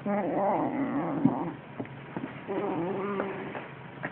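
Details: Six-week-old Siamese kitten growling while attacking a toy mouse for the first time, serious and concentrated; low, rough harmonic growls in two long bursts separated by a short quieter gap with faint rustling.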